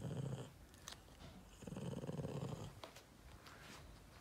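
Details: Low grumbling growls from a Boston Terrier called Yoda, who is not impressed by his Christmas treat: two short rumbling bursts separated by quieter snuffles and faint clicks in a small room.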